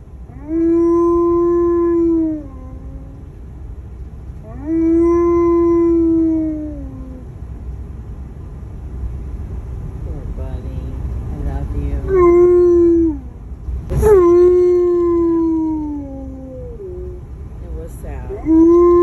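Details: Tonka, an Alaskan Malamute said to feel sadness, gives repeated howls, each a level tone that sags downward at its end, with short broken yelping sounds and a brief click between the longer howls.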